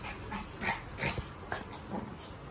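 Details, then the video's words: Pomeranian worked up while playing with a Boston Terrier, not stopping: a handful of quick, sharp yapping barks spaced about half a second apart, some with a whiny edge, over faint background hum. "Gigil na ang Pomeranian sa Boston Terrier! Ayaw tumigil!"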